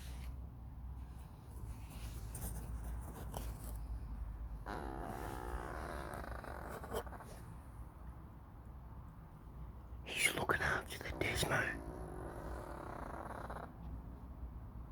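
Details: An old male domestic cat, sound asleep, snores softly in long, breathy, rasping pulls with a low rumble.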